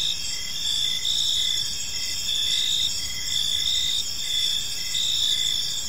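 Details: Several crickets chirp together in a park at evening, short regular pulses recurring about twice a second under a constant shimmering high trill.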